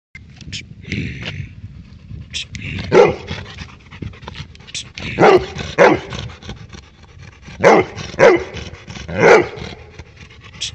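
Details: A Labrador Retriever barking at a stray dog gives loud, deep barks, singly and in pairs, with pauses between bursts.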